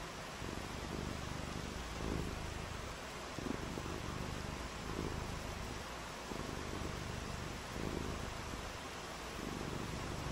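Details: Domestic cat purring on a rainy day while playing in the rain; low rumbling purr swelling in steady breaths roughly every one and a half seconds, beneath a constant hiss of broadband noise.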